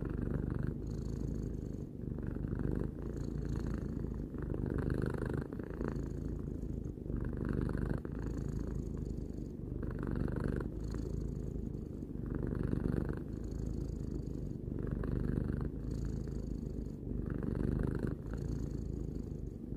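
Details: Steady low purring from Tarou, a three-year-old domestic cat, a continuous rumble with soft breath-like swells roughly every second or two, no other sounds present.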